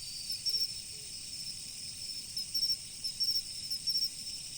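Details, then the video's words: Insects calling in autumn beside a river: bursts of short, high, bright chirps come in quick clusters over a steady shrill hum, with a soft low wash of flowing water underneath. "秋の虫の音、川の流れ。The sound of insects in autumn, the flow of the river."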